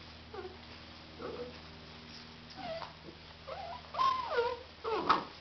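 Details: Labrador Retriever puppies, a 2009 litter, whimper and yip in short, thin, wavering cries that rise and fall.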